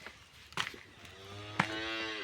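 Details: Cattle lowing during a procedure to clear metal objects from the stomach; a low, steady harmonic moo rises in the second half, with scattered clicks and handling noise before it.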